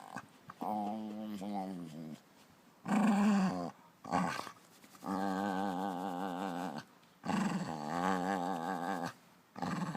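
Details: Hungarian puli dog indoors making satisfaction noises: long wavering, groaning vocalizations with rich harmonics, each lasting one to two seconds, separated by short pauses, with one louder, higher whine in the middle.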